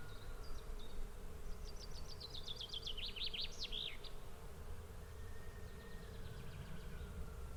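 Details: Swarm of bees giving a steady, low droning hum with a faint tonal band. Birds sing over it in the first half with rapid twittering trills, and a thin whistle comes later.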